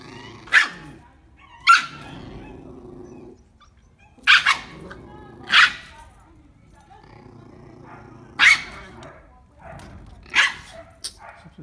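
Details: A male Lhasa Apso, trying to mate a female American Eskimo dog, gives sharp, isolated barks spaced a second or two apart.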